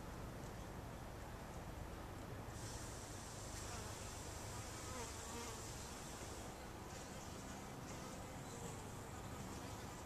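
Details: Bumblebees gathering pollen from a flowering cactus in the morning give a deep, continuous buzzing drone that rises and fades as they pass close, with a high steady hiss running through the recording.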